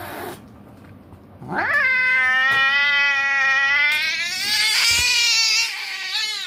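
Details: An angry cat lets out one long, sustained, tonal yowl lasting about four seconds after a quiet opening, holding a steady pitch with a slight rise and strain toward the end.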